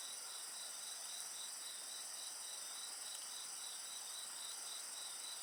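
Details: Dense insect chorus next to a bonfire: several shrill, continuous trilling tones layered with a quickly pulsing chirp band, loud and even throughout, with only faint hints of crackling fire.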